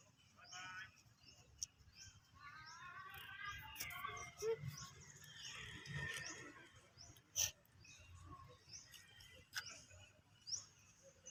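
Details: Baby monkey screaming in fright after hearing people coughing: a burst of harmonic, wavering cries over several seconds, then quieter background with sharp clicks, faint speech and high chirping from other creatures.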